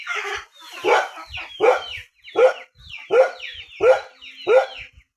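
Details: Rural dog barking in a steady series, roughly one sharp, harmonic, downward-sliding bark every three quarters of a second, with no other sounds.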